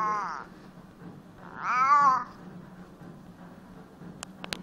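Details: Domestic cat with a hoarse, croaking voice after returning home from several days away. Two meows: a short harmonic cry at the start, then a longer rising-and-falling meow near two seconds. A steady low hum underneath and sharp clicks at the end.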